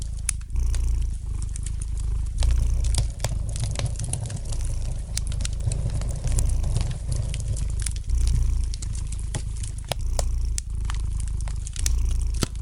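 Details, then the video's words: Relaxed domestic cat purring near a fire in the fireplace; a rumbling purr in long rhythmic swells of about two seconds, each broken by a short gap, over scattered crackles and pops. "Relax to the gentle purring of the cat and the light crackling of the fire in the fireplace!"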